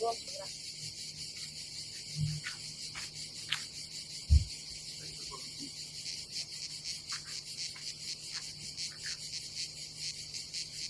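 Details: Summer cicadas at a seaside campsite by the Adriatic in Croatia keep up a continuous high, hissing drone with slight pulsing. Low thuds and knocks from people working at the campsite break through.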